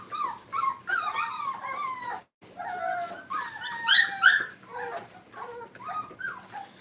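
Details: Five-week-old Brittany puppies at play in a training kennel: strings of high, wavering whines and yelps, a brief silence, then louder squealing cries with bending pitch and scattered short yips.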